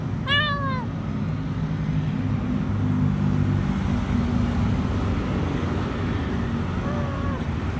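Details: A small stray kitten, alone and afraid beneath a food truck outside a grocery store, begs for food. One clear rising-falling meow opens, a fainter one follows near the end, with a constant loud engine drone.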